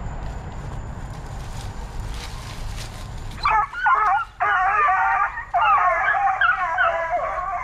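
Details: Plott Tan hound pups, a Plott hound crossed with a black and tan coonhound, raised between 8 weeks and 5 months old at a kennel; after three seconds of low rumbling background noise, a run of bright, wavering yelping bays breaks out in rapid bursts.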